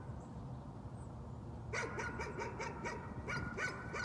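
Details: A dog's nuisance barking starts after a quiet spell: a quick string of sharp barks, about four per second, over a constant low background hum.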